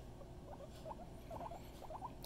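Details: Pet guinea pig, an adult female, giving short soft squeaky chirps in quick little clusters over a low background hum.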